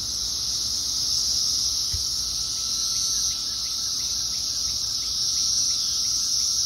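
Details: Thousands of Brood X periodical cicadas calling from a tree in Fairfax, Virginia, in 2021, merging into a dense, unbroken high-pitched hiss with faint regular pulsing beneath it.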